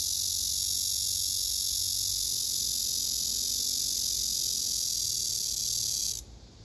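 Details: Singing male cicadas, one loudly answering the others: a continuous piercing buzz that runs steadily for about six seconds, then cuts off abruptly, leaving near quiet.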